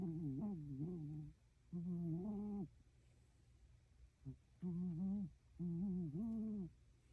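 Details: Azuki, a Shiba Inu, asleep and breathing audibly: low, tonal, moaning breaths with a slight wobble, coming in pairs of about one second each, separated by short quiet gaps with a faint indoor hum.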